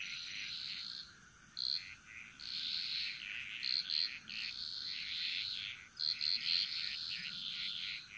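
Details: Bali jungle frogs singing together: long stretches of dense high trilling with sharp bright pulsed notes standing out in short clusters, over a faint steady insect whine.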